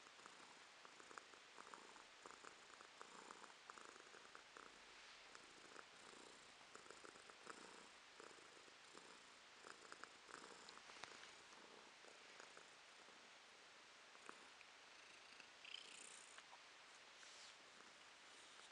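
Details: Romashka the cat purring indoors, November 2022; faint rhythmic purr pulses early on, fading into a hissy background with a few small clicks and rustles later.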